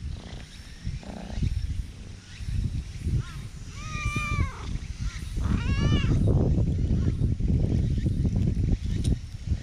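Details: Friendly black cat in a park, affectionately pressing close to a person, recorded on a GoPro action camera; two rising-then-falling meows near the middle over a constant low rumbling of handling and background noise.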